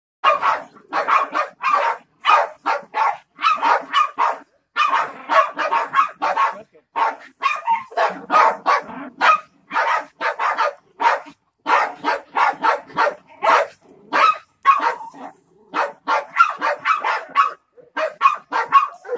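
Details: Three Jack Russell Terriers confronting a snake bark in a rapid, relentless volley of sharp, high barks, several overlapping, with hardly a pause across the whole stretch.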